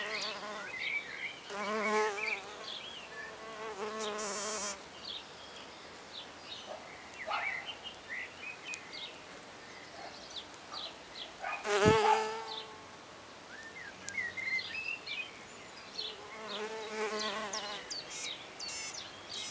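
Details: Red orchard mason bees starting work at a new back-garden nest block of recycled oak, six solitary females; buzzing swells in separate passes of a few seconds, rising and falling in pitch, with quiet gaps and occasional bird chirps.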